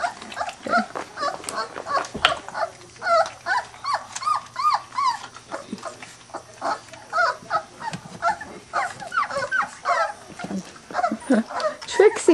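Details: Three-week-old Weimaraner puppies of the Bravo litter, out of Trixie and Clay, squeal and whimper in a rapid string of short, high, arching cries, many overlapping, with a brief low thump partway through.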